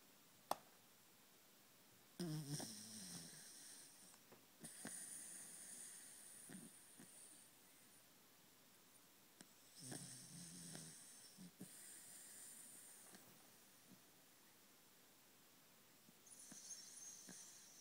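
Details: A 3½-year-old corgi, deep asleep, snores in slow, rasping bursts like a buzz saw, each breath a rough, low rattle with a hissing edge.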